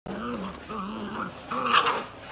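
Hungarian Vizsla puppies give three short, arched, nasal whimpers in quick succession.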